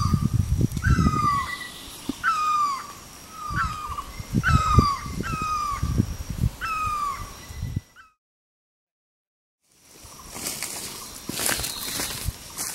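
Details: A black-webbed (Kio's) tree frog, a tall-tree species found in the rainy season, gives a string of short, downward-sliding notes about once a second.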